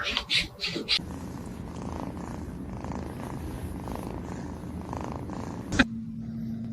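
A kitten purrs steadily in a low, rhythmic rumble after a brief burst of noise.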